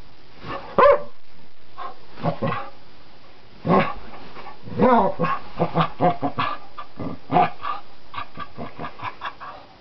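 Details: Wild dog on a flower bed, agitated by someone playing with it: bursts of short barks and yips, quick and irregular, crowding together in the second half, with a lower rumbling undertone.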